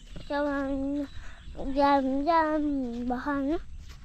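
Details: Male goat (boka) bleating in long, steady, nasal cries, several in a row, each held for about half a second to a second and some rising at the end; only faint background rustle otherwise.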